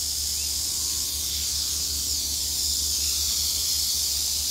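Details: Eastern diamondback rattlesnake in Florida, rattling while people interact with it during an on-location shoot: a steady, dry, hissing buzz that runs unbroken throughout, over a faint low hum.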